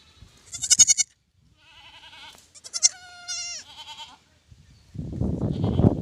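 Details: Newborn lamb bleating: a short sharp cry, then a run of wavering bleats, some falling in pitch, followed by loud rustling, handling noise at the end.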